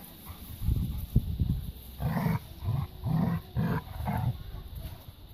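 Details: Labrador retriever puppies romping in a garden give a run of rough, throaty growl-barks, about five bursts in a row each lasting under half a second, after some lower scuffling noises.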